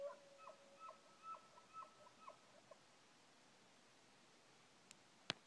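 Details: At dusk at a moose lick, an elk bugles, a high whistle that climbs from a low tone and pulses before fading, as elk throughout the valley sound off.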